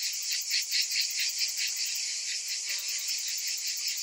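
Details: Summer cicadas calling together: a dense, buzzing drone that throbs in soft pulses about twice a second, over a thin, steady high hiss with faint rapid ticking.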